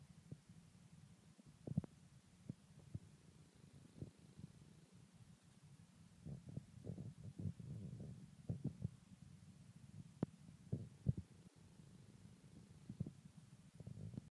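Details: Abby, a pet bulldog, snoring indoors: low, rumbling breaths heard as soft irregular bursts, grouped more densely midway, with occasional brief clicks and a quiet hum underneath.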